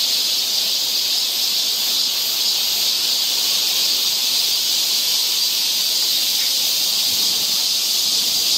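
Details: Cicadas singing in summer along a forest trail in Seoul, Korea: a dense, steady, high hissing drone that holds unbroken and evenly loud throughout, with no pauses or other clear sounds.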